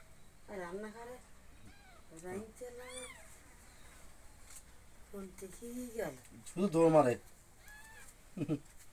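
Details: Young kittens being fed little by little: a few high, wavering mews rise and fall between steady Bengali speech from the woman feeding them, one loud cry near the end.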